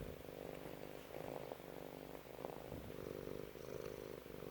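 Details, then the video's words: Cat family reunited after two weeks apart; a soft, steady low purr rumbles through the clip, faint and continuous, in a quiet indoor room. "2주만에 만난 고양이 가족의 반응"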